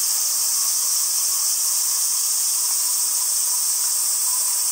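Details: A male robust cicada (Hyalessa maculaticollis) in late summer sings a loud, steady, high-pitched buzzing drone.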